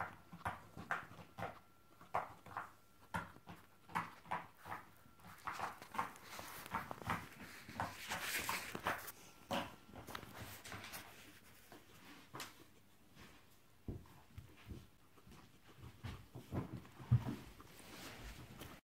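Guinea pigs squeak and chatter in annoyance amid a steady run of sharp tapping sounds.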